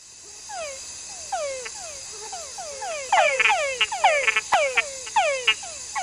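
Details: In the rainforest, several male túngara frogs give quick, falling whines, overlapping in a busy chorus to attract females.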